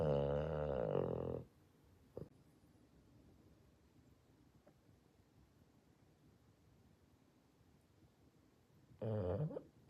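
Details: Sleeping Boston Terrier snoring loudly: a rough, buzzy snore rich in stacked overtones lasts about a second and a half, then near silence with a faint click, before another grating snore starts near the end.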